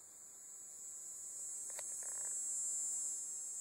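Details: Tibicen canicularis, the dog-day cicada, calling at an equestrian center in Bohemia, New York, on 6 September 2012: a continuous shrill buzz that swells gradually louder, with a short tap partway through.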